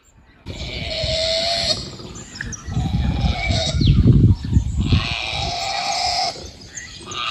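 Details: A male koala in a tree on a rural property in Victoria, Australia, in late November, bellows with deep, rasping, asthmatic-sounding snores and grunts that pulse rapidly in long, heaving phases.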